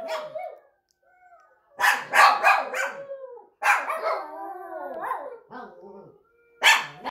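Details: A Yorkshire Terrier mix howls in drawn-out, wavering cries with brief yips between them.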